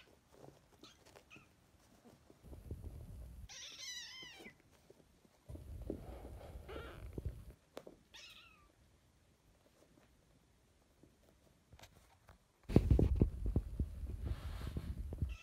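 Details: Kitten sisters fostered in spring 2017: a high, wavering mew near the start and a fainter short mew later, between stretches of loud low rustling and handling noise.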